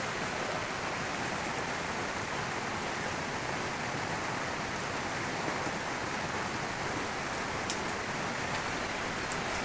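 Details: Steady hissing rain or rushing water fills the whole recording, with no animal calls.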